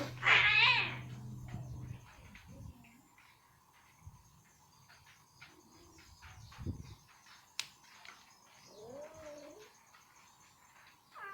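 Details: Ginger female cat with chicken meat stuck in her teeth, trying hard to get it off: one loud, high, wavering yowl at the start, then quiet shuffling and a brief rising-falling mew near the end.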